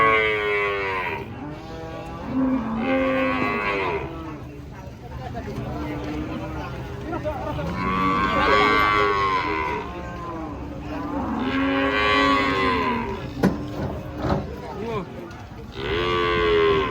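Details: Big cattle stepping down from a truck, a series of loud drawn-out moos, roughly five bellows spread over the stretch with quieter gaps and knocks between them.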